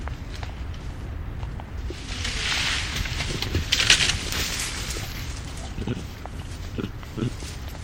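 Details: Chacma baboon troop feeding, with coughing and screeching: harsh, broad rasping screeches swell near the second and fourth seconds above steady low grunting and rustling, then scattered short calls follow.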